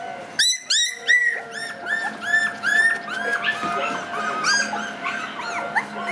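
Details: Three black Shiba Inu puppy siblings, born 18 August, on a brief first outing outdoors, make a rapid run of high, squeaky, arching whimpers and yelps, several overlapping, with music playing underneath.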